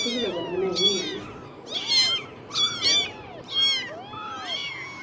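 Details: Newborn kittens in their first days after birth, mewing in high, thin, arched cries, several overlapping, roughly five bursts across the stretch, with a low murmur underneath.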